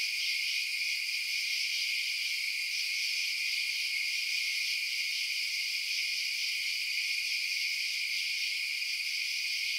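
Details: Night-time crickets keep up a continuous shrill trilling, several high bands of sound droning evenly without breaks throughout.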